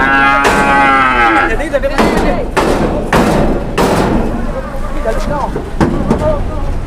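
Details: Agitated, raging cattle, two cows charging, voicing a drawn-out harmonic moo in the first second and a half, followed by heavy thuds and knocks, with a man's voice and rustling around them.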